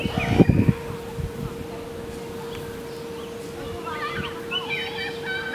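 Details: At Lion Park in Chartwell, Africa, a brief human voice opens before meerkats break into a rapid run of short, wavering chirps toward the end, above a continuous low hum.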